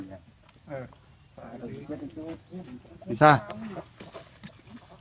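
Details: Injured monkey Sheba crying in pain as her wounds are washed and medicine is applied; one loud, harsh, wavering cry rises above quieter whimpers, with Vietnamese speech nearby.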